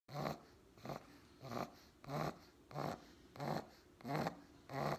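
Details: Sleeping four-month-old pug puppy snoring indoors: rough, wheezy, rasping snores coming in a steady rhythm, about seven in five seconds, each swelling and fading.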